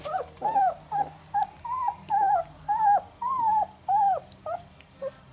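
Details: Eleven-day-old Northern Inuit puppies, three male littermates, giving clear arched whimpers, each squeal rising then falling, repeated roughly twice a second in a steady series, with faint background hum.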